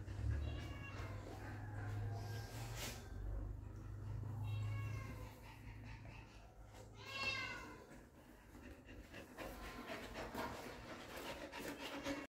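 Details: Amid low rumbling room noise, puppies encountering their dad for the first time let out faint scattered whimpers, with one clearer wavering squeal near the middle.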